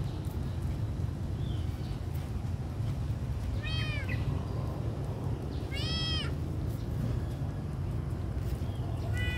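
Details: Hungry little kitten cries in short arched meows, one roughly every two seconds, each briefly rising then dropping, the last cut off at the end, over a constant low rumble.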